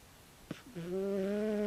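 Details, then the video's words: Loud snoring from Tabi, a sleeping 16-year-old calico cat. After a brief click, one long, even, nasal drone rises slightly in pitch, rich in overtones, and holds for about a second in a quiet room. "タビ 猫のいびき"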